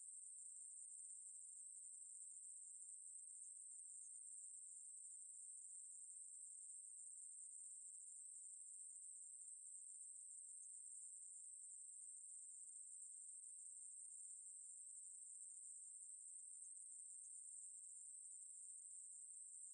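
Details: Long, uninterrupted high-pitched drone of a Ruspolia katydid singing, from 2020 National Institute of Biological Resources material, holding an even sizzling tone for the full stretch with no breaks or other noises.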